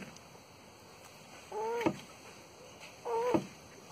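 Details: A mating tortoise in Porto Alegre, Brazil, recorded January 2021, gives two brief wheezy squeaks with a bending, slightly warbling tone, about a second and a half apart, ending in a soft thud.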